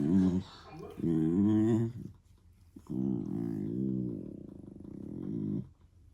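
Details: German Shepherd puppy making funny noises indoors: low, voiced grumbling moans in two short bursts, then a longer wavering, yodel-like whine that rises and falls for nearly three seconds before stopping.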